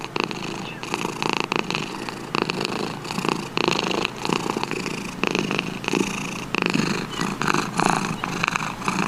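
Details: Cat purring in a long, uneven rumble that swells and eases in waves, with repeated harsher bursts every second or so.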